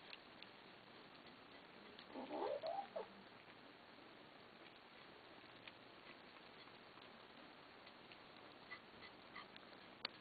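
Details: Domestic kittens fed after begging, growling at one another over food: one harsh, wavering outburst lasting about a second, then only soft clicks and patter of eating.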